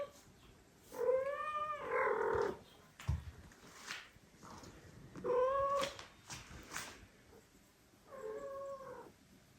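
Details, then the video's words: Indoors, an older female cat meets newly adopted foster kittens sharing her room. Drawn-out, wavering meows with rich overtones arrive in three separate bursts, each lasting about a second, with a few thuds and rustles in between. "The older sister meets the adopted kitten Meow / mom cat voice"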